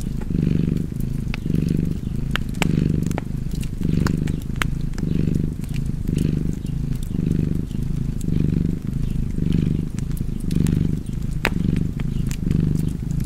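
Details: Relaxing purr of a house cat by the fire. The continuous low vibration pulses in about eleven even in-and-out breaths, with frequent crisp crackles and pops from the fireplace above it.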